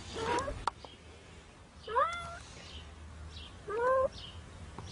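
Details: Cat trapped in concrete cement calling for help: three short rising meows spaced about two seconds apart over a low mechanical hum.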